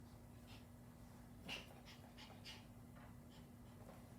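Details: Excited puppy panting in soft, breathy bursts about twice a second, quick and fairly even, over a steady low electrical hum.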